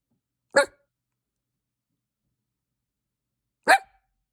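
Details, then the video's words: Dog with a bark like hiccups, two single short, clipped yelps about three seconds apart in an otherwise quiet room. "i bark like hiccups"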